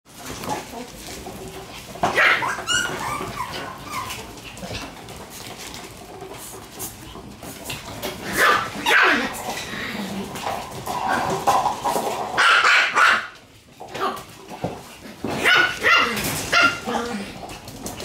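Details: Black Shiba Inu puppy born May 29, running about with a sibling on the morning she leaves the nest; scattered short, rough barks and yelps in bursts around two, nine, twelve and sixteen seconds, with rustling and play noise between.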